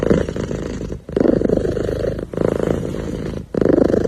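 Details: A kitten sitting happily and purring. The low, rumbling purr comes in bursts of about a second each, broken by brief quiet breaths in between.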